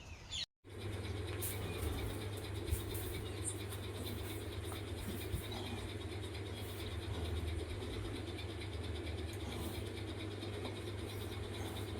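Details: Outdoor engine drone runs steadily after a brief cut near the start, with no clear animal calls.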